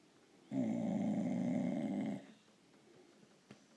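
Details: Blue Irish Staffordshire bull terrier, female, indoors, making a grunting, snoring-like noise while wanting petting or attention: one steady rough low grunt lasting under two seconds, then quiet room.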